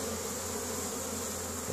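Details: Honey bee colony building up in spring, Caribou, Nova Scotia, Canada, 10 May 2015, foragers returning with pollen; an even, rich humming drone from numerous bees, slightly swelling near the end.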